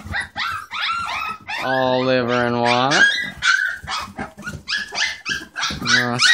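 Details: English Springer Spaniel puppies eating puppy mash and replacement milk, several voices overlapping: short squeaky yelps and whines, a sustained low-pitched whine in the middle and another near the end, with a person talking throughout.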